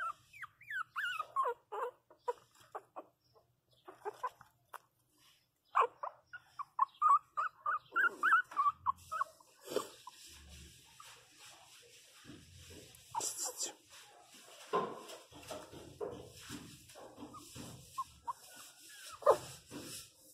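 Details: Mini pinscher puppy, 27 days old, indoors and crying hard after falling and hitting its head: rapid series of thin, high, falling whimpers, loudest in the first half, then fainter cries mixed with a woman talking and handling noise.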